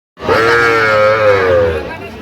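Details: Young Sahiwal bull and heifer calves at the Aftabganj cattle market in Kushtia, held Tuesday, 8 October 2025. A single steady bawl, held level for about one and a half seconds with a low hum beneath, then fading into market murmur.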